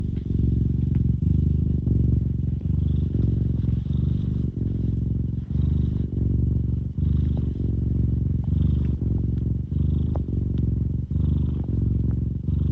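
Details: Domestic cat purring with deep bass, a steady low rumble that swells and pauses with each breath about once a second; faint higher hum and light clicks in the background.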